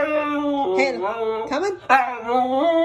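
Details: Halo, a mouthy Siberian Husky, protests being called off the bed indoors with continuous moaning, yodel-like vocalizing. The pitch slides and wobbles, briefly breaking midway before rising again into a drawn-out grumble.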